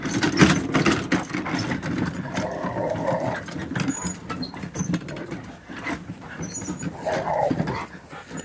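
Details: Rottweiler attacking a wagon tire and trying to bite it, giving rough, low growls in uneven bursts over scraping and rustling, with a louder snarling surge near the end.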